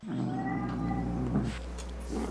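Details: Angry domestic cat meowing to scare off rats, opossums and other cats; a steady, low, drawn-out growling yowl with a faint high whine above it and a constant low hum underneath.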